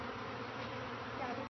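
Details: A dense, steady hum of many western honey bees buzzing together, rising and falling only slightly, as a colony is removed from a home's attic in Bryan, Texas, with a bee brush.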